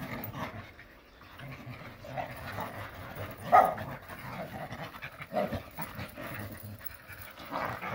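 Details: Jindo dogs romping in the countryside make steady huffing pants and grumbling play growls, with a sharper yelp-like burst around the middle amid continuous scuffling.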